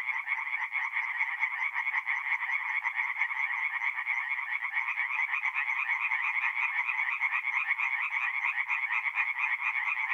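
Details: Tree frogs calling together after dark at a north-east Italian forest pond in mid-April, forming an unbroken chorus of rapid, grating pulses that holds the same loudness throughout with no other sounds.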